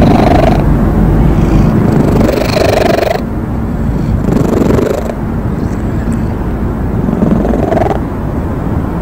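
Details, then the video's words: Stray cat purring: a low, grainy rumble that swells and eases in long phases of a few seconds each, with faint clicks and scrapes near the microphone. "길고양이 골골송 과 코골이 비교 - Purr VS Snoring"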